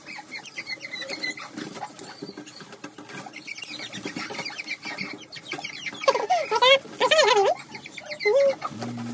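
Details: German Shorthaired Pointer puppies having their nails trimmed indoors: clicking and shuffling at first, then from the sixth second a run of sharp, wavering, high yelping whines, several in quick succession, ending with a short squeal.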